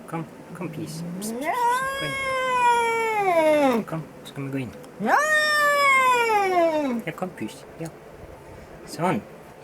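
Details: Angry cat yelling: two drawn-out caterwauls rise sharply, hold a strained plateau, then slide down over about two seconds each, with a person speaking Norwegian softly in between, coaxing the cat inside.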